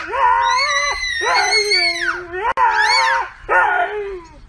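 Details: Howling Husky from a cute TikTok compilation, four drawn-out, strained, scream-like wails, each rising and falling in pitch, separated by brief gaps and a sharp click in the middle.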